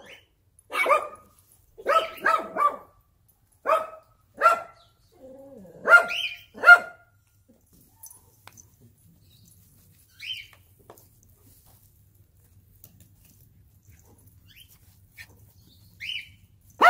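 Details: Excited German Shepherd barking at its puppies; clusters of sharp, harmonic barks, often two or three in quick succession, then quieter single yips after a pause, with near silence between.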